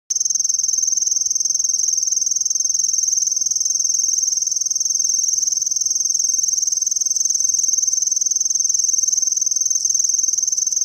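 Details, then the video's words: Japanese tree cricket singing: a steady, very high, thin trill held without a break, made of rapid, evenly spaced pulses at about 207 per minute. No other sounds are heard. "クサヒバリ 鳴き声"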